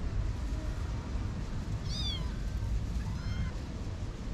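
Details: Six-to-eight-week-old kittens whose mother has been missing a week, near a parking garage gate. Two short, high, downward-curving mews about a second apart against steady low rumbling background noise.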